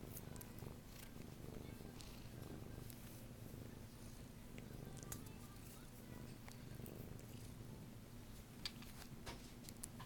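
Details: A playful adult mother cat waiting for adoption at a cat shelter purrs quietly indoors, a steady low rumble throughout the ten seconds with faint rustling and small clicks above it.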